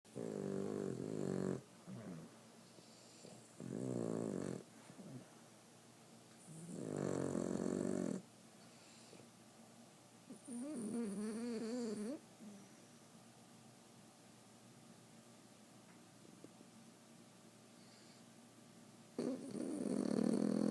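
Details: A female Boston Terrier snores in loud, rasping bursts separated by quieter breaths.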